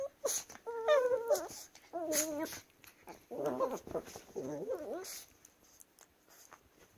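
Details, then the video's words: Chihuahuas wrestling and making funny noises: clear whimpering whines with steady tonal notes, then wavering, warbling grumbles in several bursts, followed by quieter scuffling toward the end. "Chihuahuas Wrestling & Making Funny Noises"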